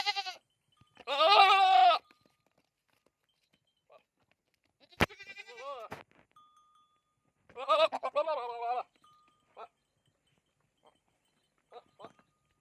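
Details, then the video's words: Goat bleating in three loud, quavering, nasal bursts of about a second each, spaced several seconds apart, with small clicks and knocks in the quiet gaps. "Goat sound | Funny Goat Sound"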